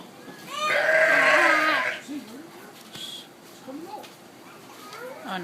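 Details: Sheep at Honolulu Zoo, visibly upset about a llama being out for a walk, giving one long harsh bleat of about a second, followed by quieter sounds and murmuring human voices in the background.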